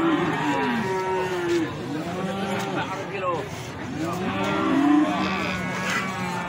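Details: Several feeder cattle at the Plaosan cattle market in Magetan give overlapping short moos that rise and fall, forming a busy chorus mixed with people talking.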